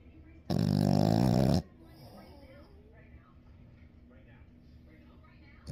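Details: A 7-month-old French Bulldog puppy gives one loud, rattling snore, then the room falls quiet.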